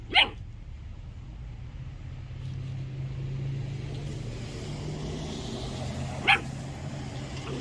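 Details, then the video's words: An 8-week-old Belgian Malinois puppy gives two sharp, high yipping barks several seconds apart at moving water in a farm pond, over the sound of rushing water. "Belgium malinois puppy barking at moving water"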